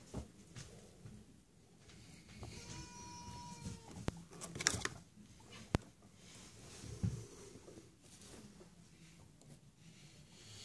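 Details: Guinea pigs Chucky and Stephen, two boys back from their daily outside activity to a completely rearranged house; a steady, even-pitched squeak with overtones lasts about a second amid shuffling, clicks and bedding rustle indoors.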